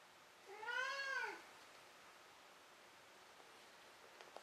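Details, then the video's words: Indoor domestic cat that has just run about and caught a toy gives a single arched meow lasting under a second, followed by near silence with a few faint clicks. "鳴くねこからの眠りねこ。-Meow Meow"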